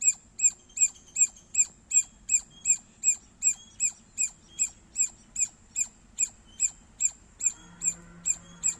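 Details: Loud squirrel chirps in a long, regular series, about twenty high, squeaky notes at a brisk, even pace, with a faint low hum entering near the end.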